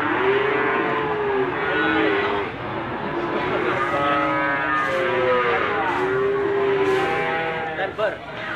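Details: Limousin cattle at the Gondanglegi animal market, Malang Regency, East Java, on 12 February 2020; several long, slightly wavering moos overlap one another, with market chatter and engine noise beneath.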